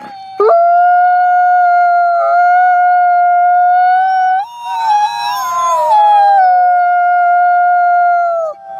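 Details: A sustained, even howl from Nikai, a captive-born gray wolf at the Wolf Conservation Center, South Salem, New York, wavers and warbles mid-way in a yodeling passage before settling back to a steady tone and fading out.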